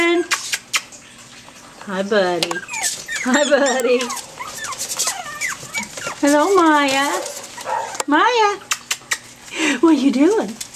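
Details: Pomeranian puppies from a litter 5.5 weeks old, February 19, 2013, giving loud wavering whines and yelping squeals in repeated bursts every second or two, each sliding up and down in pitch, with a human voice briefly audible.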